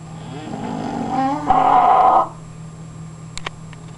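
An English Bulldog snores with one long, rough, rattling breath that swells louder before stopping.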